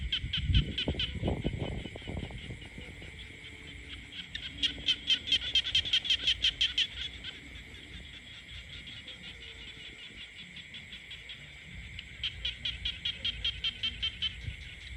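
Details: Peaceful countryside alive with croaking frogs: bursts of rapid rattling pulses in separate runs, separated by quieter spells, with a steady high buzz beneath and thumping low noise at the start.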